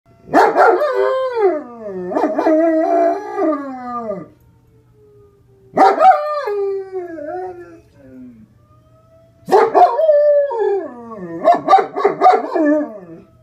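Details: A female German Shepherd howls in three long, wavering bouts in response to fire department sirens, as if she thinks they are communicating with her; howl.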